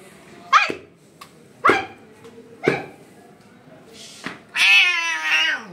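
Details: Hungry stray kittens in India crying for their mother cat: three short, sharp meows about a second apart, then a longer, strained, wavering cry that slowly falls in pitch at the end.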